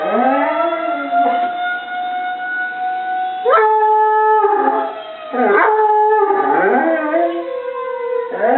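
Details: Pet dog howling along with a wailing tornado siren; the steady siren tone dominates while the dog's howls break in with sliding, wavering pitch roughly every second or two.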